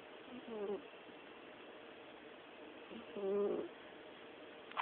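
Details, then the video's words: Coo-purr-snore from a dozing orange cat: two gentle, humming snore breaths about two and a half seconds apart, then a brief faint click at the very end. "the Orange Cat snores"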